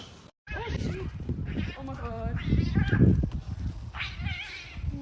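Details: Cat facing off against another cat: a series of wavering, whining yowls with rising and falling bends, some strained and high. Deep rumbling and a human voice run underneath.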